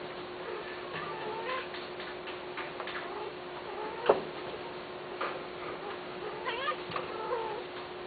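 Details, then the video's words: Cats kept for sale meowing softly and intermittently, brief bent notes scattered among clicks and a sharp tap, all above a constant low hum. "قطط للبيع"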